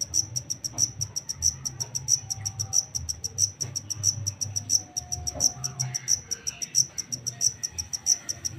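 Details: Wild-caught black cricket calling: bright, high-pitched chirps repeated steadily about every two-thirds of a second, with a faint low hum underneath.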